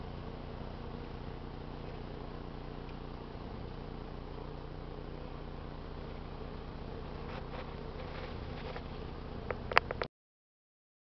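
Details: Buzzing of honey bees during a rob out, foraging bees from nearby colonies fighting around a lure hive box; an unbroken low humming swarm sound, with a few sharp knocks and clicks near the end.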